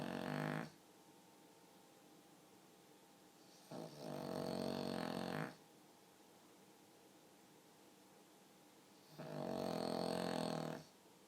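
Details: A pug dozing indoors gives human-sounding snores, three grating bursts about two seconds long spaced around four to five seconds apart, with quiet breathing between.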